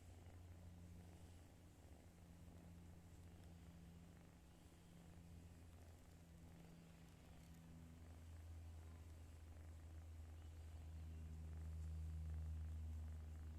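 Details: A domestic cat asleep in its owner's arms snores softly, a low rumbling breath sound repeating steadily several times a second, rising slightly in loudness toward the end with faint background hum.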